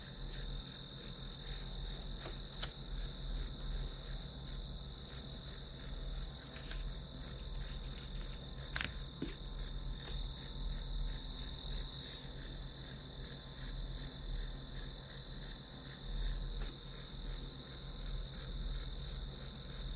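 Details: Grass insects keep up a long run of high, rhythmic chirps near three per second above a steady buzzing tone, with occasional faint clicks and low hum.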